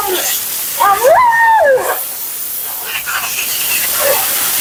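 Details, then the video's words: Mila, a vocal female Siberian Husky being groomed indoors, gives one drawn-out whine of about a second that rises, holds, then slides down, over steady hissing from spraying water or a dryer. "Talking Husky"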